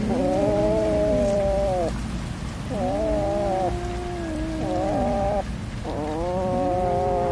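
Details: Domestic cat at feeding time with fish, uttering three long, level meows of about two seconds each, separated by short quiet gaps, over a low background rumble.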